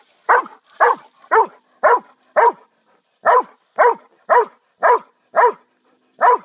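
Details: A household dog lets out eleven sharp, gruff barks at an even clip of about two a second, broken by one short silence before the barking resumes.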